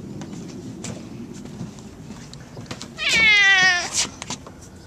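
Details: Gato, a pet cat, wandering around the yard and house, lets out one drawn-out, slightly wavering meow near the end, after a quiet stretch with faint background rustles and soft clicks.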